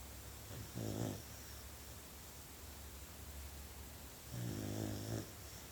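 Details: Sleeping puppy snoring indoors in a small room: two low, harmonic rasping snores, each about half a second to a second long, separated by roughly three seconds of quiet breathing over a steady low hum.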